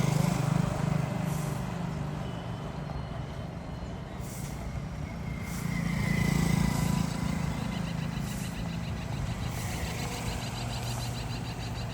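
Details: Outdoor traffic rumble with a passing truck and a steady engine drone, plus a faint high hiss, with no animal call.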